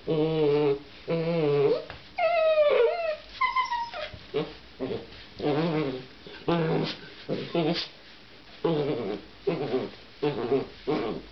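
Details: Seven-week-old giant schnauzer puppy, playing with a bull terrier puppy indoors, gives a run of harmonic growls and whiny yelps. Some notes sweep sharply upward, bursts come roughly once a second, and there are short quiet gaps between them.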